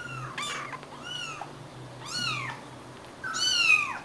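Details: Tiny stray-born kittens, roughly three weeks old, four of them rescued in Greece and fed formula from a feeder; loud, high-pitched wavering mews, several in quick succession, each rising then falling, over a faint low hum.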